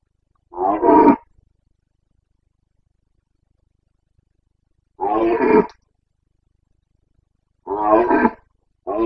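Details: Stag of the Carpathian red deer roaring in the breeding season, Bucovina, Romania, September 2022: short guttural bursts spaced several seconds apart, the later ones closer together, with quiet surroundings between.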